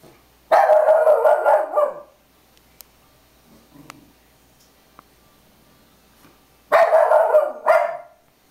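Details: Pet puggle barking at a picture of a pug on a beach towel: two loud bursts of rapid, harsh barks, one at the start and one near the end, with quiet between.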